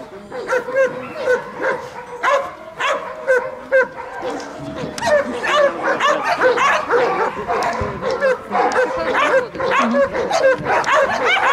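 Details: German Shepherd in bodyguard protection training in Odesa, Ukraine, alongside Belgian Malinois: rapid, harsh barks repeated about twice a second, dense and overlapping, with people talking throughout.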